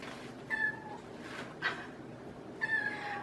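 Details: Domestic cat meowing indoors in the background while someone crafts; three short, tonal meows spaced about a second apart over a faint steady room hum.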